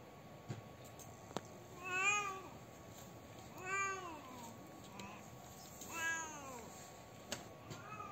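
A domestic cat gives three drawn-out, wavering meows, each rising then falling, spaced about two seconds apart.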